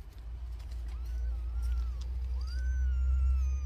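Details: Two drawn-out, high thin mews rise and then slowly fall as a mother cat nurses her newborn kittens, the second cry longer and stronger, over a constant low hum.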